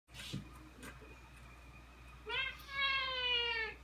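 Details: Ragdoll cat, about two years old, meowing indoors as the owner changes into outdoor clothes to go out; a faint sound early, then one long, drawn-out, slightly falling meow in the last second and a half, with a woman speaking Korean just after.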